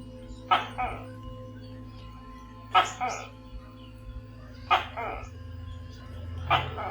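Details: A tokay gecko a few meters from the recordist gives loud, barking two-part "to-kay" calls, repeated about every two seconds.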